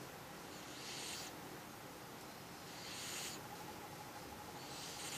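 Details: Cat snoring while asleep: soft, breathy hissing snores, one drawn-out breath roughly every two seconds, against a quiet room background.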